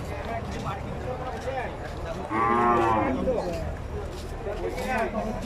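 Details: Cattle at a Bangladeshi cattle market during Qurbani 2023, one loud drawn-out moo of about a second rising through the middle, amid constant crowd chatter and men bargaining over the price.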